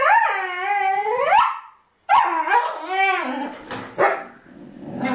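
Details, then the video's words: Two huskies having a chat: long drawn, rising and falling howl-like whines with rich harmonics, a brief pause, then another bending vocal phrase ending in shorter yips. "Huskies Talking"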